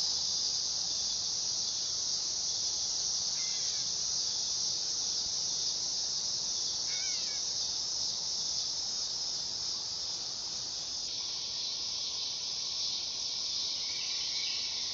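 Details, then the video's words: Singing dog-day cicada, an unbroken high-pitched electric whine, with a couple of faint chirps from a bird and a lower steady tone joining in during the last few seconds. "Cicada sound / call / noise | Dog day"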